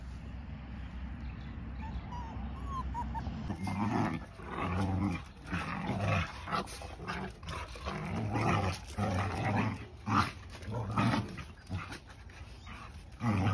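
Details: Puppy sounds that start after a few quiet seconds: low, rough growling bursts and scuffling noises, irregular and overlapping, over a steady low background hum.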